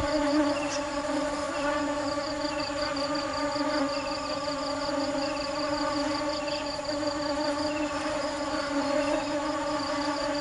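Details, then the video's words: Bees gathering nectar keep up a steady, slightly wavering drone of even tones, while a high insect pulses rhythmically and occasional short chirps sound. "Tiếng kêu và hình ảnh những chú ong chăm chỉ tìm mật ngọt"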